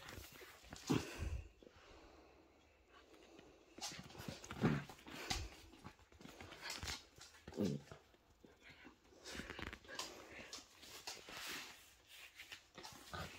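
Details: Poodle family, mother and puppies together: three brief squeaky whines, each sliding down in pitch, spaced roughly three seconds apart, among breathy panting and shuffling sounds.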